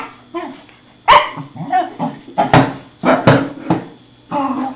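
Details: Seven-month-old male Pembroke Welsh Corgi playing with a rolling tin can gives sharp barks mixed with shorter yips and rough, growly notes in an irregular burst.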